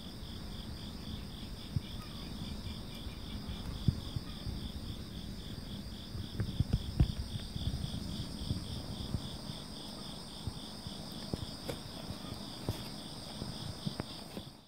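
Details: Purring of a friendly, affectionate calico cat: a steady low rumbling throb runs throughout, with soft clicks and rustles, over a constant high pulsing chorus of crickets.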